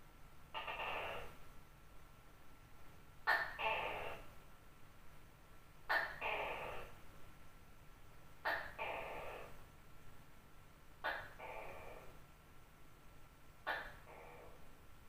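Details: Night calling of a large tokay gecko: one lone croak, then five regular two-syllable calls about every two and a half seconds, each a short abrupt bark and a longer, rough, nasal note. Background is quiet.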